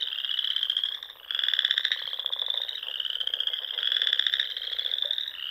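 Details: Sandhills frogs of Nebraska calling at dusk in spring near ponds, an unbroken shrill trill layered with rhythmic rattling pulses that come in loud surges about every two seconds.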